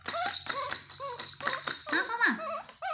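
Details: ['Baby monkey Toro calling sweetly so his mother will comfort and hug him; short arched tonal squeals repeat about every half second, with a woman talking in Vietnamese close by.']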